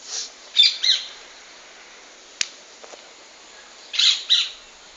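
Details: Praying mantis making strange sounds when threatened: short breathy hissing bursts, high and airy, in pairs near the start and again near the end, with a faint click between them.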